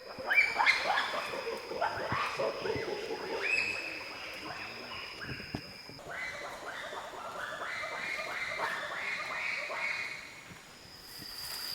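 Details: In forest near Bolobo, DR Congo, around dawn beneath their nests, bonobos give a rapid chorus of high, shrill, rising hoots and squeaks with several voices overlapping; an alarm cry is given on spotting observers, then vocalisations follow.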